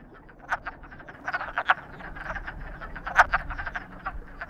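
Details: Close, loud frogs said to be in love: bursts of rattling croaks come in quick runs, with the strongest calls near half a second, 1.7 and 3.2 seconds, over quieter chorus.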